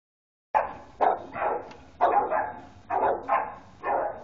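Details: Three wild Boxer dogs at play: rough, throaty bark-growls in short bursts, about one per second, after a brief silence, with no other sounds.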